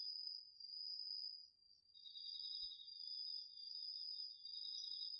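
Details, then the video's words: Autumn insects including crickets singing at night in a garden field, DR-40X recording: a steady high trill alone at first, joined after about two seconds by a lower rapid pulsed trill that continues to the end. "秋の虫の声 ASMRでおやすみなさい 〜虫の音を枕元で聞いてね〜 こおろぎ他"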